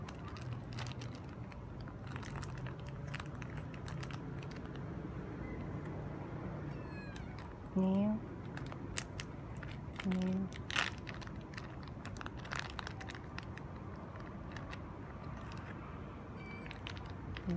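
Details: Hungry stray kitten being fed, giving two short harmonic meows about two seconds apart, partway through, over a steady low background hum with soft indoor rustling and crinkling.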